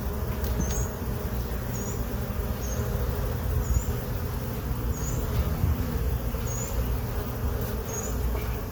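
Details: Honey bees in a hive box they moved into on April 29, 2022, heard during a hive inspection: a dense, steady low buzzing hum throughout, with short high chirps repeating about once a second above it.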